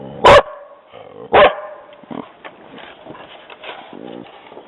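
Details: A dog barking after hearing somebody walking on the trail: two loud, sharp barks about a second apart, followed by quieter scattered sounds.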